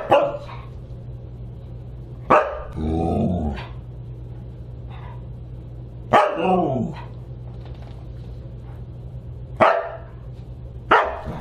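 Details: Siberian Huskies gathered for dinner on December 29, 2022, giving loud single barks every few seconds, one followed by a rough growling grumble, over a constant low electrical hum indoors.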